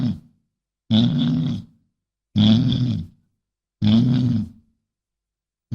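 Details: Bison grunting: three long, deep, rumbling grunts of almost a second each, evenly spaced about one and a half seconds apart, rough and throaty with a breathy upper layer.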